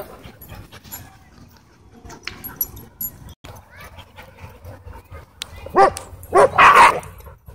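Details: Playing dogs at a dog park, mostly quiet scuffling at first, then two loud, rough, harsh barks burst out close together near the end, with low background rumble.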